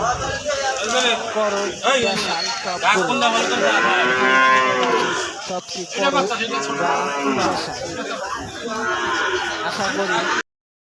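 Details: Holstein Friesian calves mooing at Aricha cattle market, Bangladesh: long bending lowing calls repeated among a crowded herd, with steady human chatter around them.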